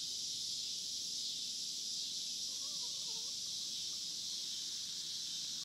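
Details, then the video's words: Cicadas on the Hard Fifty Farm give a steady, high, hissing drone that holds without a break from start to finish. "Recording of cicada sounds on the Hard Fifty Farm"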